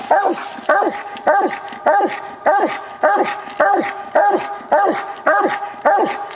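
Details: Walker coonhound Copper, a tree dog, on a night coon hunt, barking steadily at the tree in an old, low-quality recording: loud, chopping barks with a falling tail, roughly one every half second in an even rhythm.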